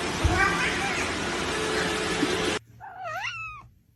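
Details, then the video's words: Kitten giving a single short meow that rises then falls, heard right after a loud stretch of hissing background noise cuts off. "kitten meowing call"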